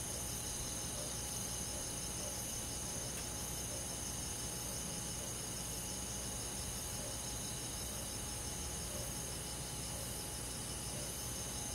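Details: A summer-night chorus of crickets and grass insects in a rural forest: continuous high, buzzy trilling with soft rhythmic pulsing, over a noticeable steady low rumble.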